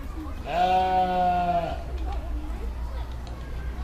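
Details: Sheep giving a single long, steady, harmonic-rich bleat lasting about a second, followed by faint distant bleats over a low background hum.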